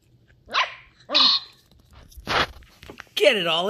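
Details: Ten-week-old Sheltie puppy Ollie, a female exploring new things, gives two short, high, tonal yips, then a lower rough bark. A human voice speaks near the end.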